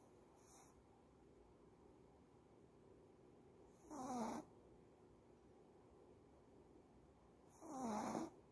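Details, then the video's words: Tired female dog snoring in her sleep: a faint short snore, then two louder rasping inhalations about four seconds apart, each with a wavering whistled tone sliding downward, otherwise quiet indoor background. "Snoring dog, maybe she is tired"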